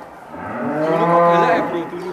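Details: Angus cattle Douglass, called the largest cow in Indonesia and king of Angus cattle, gives a single rich, harmonic moo that swells and then fades over about a second, with faint talk in the background.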